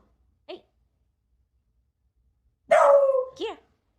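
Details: Beagle kept indoors on Halloween, wary of strangers and the doorbell: one short yelp, a pause, then a loud drawn-out bark followed by a quick second yap, with a woman speaking nearby.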